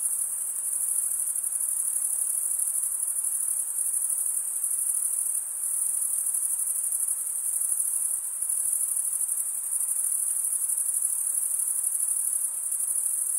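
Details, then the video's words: Continuous high shrill of chirping crickets, made by wing-on-wing stridulation, holds steady for the whole stretch with only slight dips in loudness around the middle; nothing else is heard. "Most relaxing cricket sound"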